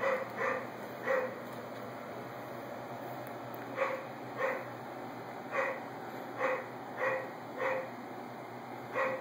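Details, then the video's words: Repeated barking from a neighbor's dog: about a dozen brief, hoarse woofs, some in quick pairs and some alone, spread over nine seconds with a pause near the start, over a steady faint high electronic tone. "Neighbors dog is barking"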